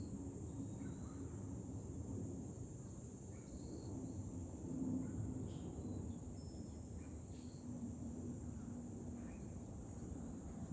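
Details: From a lookout above Fukuoka city in July, cicadas keep up an even, high-pitched droning hiss for about eleven seconds, while wind rumbles low and faint scattered chirps come and go.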